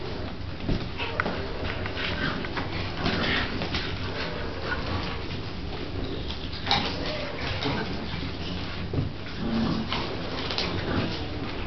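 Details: Dog named Bronx playing with pups: faint, thin whimpering and short yips scattered through a steady hiss of broadband background noise, with a few brief sharper clicks or knocks.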